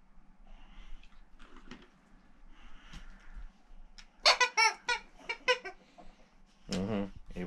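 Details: Rex, a male Boxer born in 2015 who lives outside Landskrona in southern Sweden, asks for his toys indoors: after soft human speech comes a quick run of short, whiny, moaning bursts, then one longer drawn-out whine.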